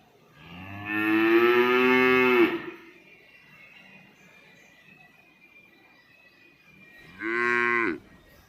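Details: Domestic cow mooing: a long, loud, harmonic moo of about two seconds, then a quieter stretch with a faint steady tone, and a second shorter moo near the end.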